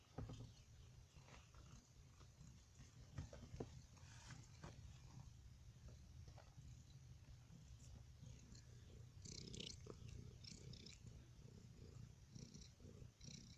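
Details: A domestic cat being poked purrs softly in a low, steady rumble that continues throughout, with faint rustling and light tapping sounds from handling.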